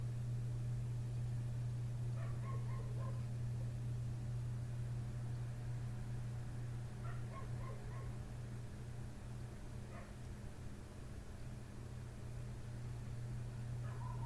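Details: Neighbour's dog barking right outside a window in the middle of the night, having kept on since 1:30 am; faint clipped barks in quick bunches recur every few seconds beneath a constant droning low-pitched hum.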